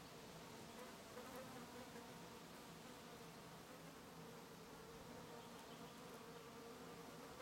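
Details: Bees and other insects on blooming lavender in Brittany; a constant, even buzz of several insects at once, a rich droning hum with overlapping tones and no other notable sounds.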